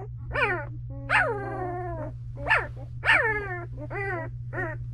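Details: Two-week-old Belgian Malinois puppies of the dam Misty in a whelping box, giving high whining whimpers and yelps that rise then fall, several overlapping cries spaced about every half second to second, over a steady low hum.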